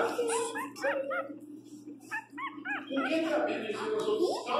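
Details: Pinscher puppy crying loudly indoors: high, arching whines and short yelping cries repeated in quick bursts, some rising sharply, over a steady low electrical hum.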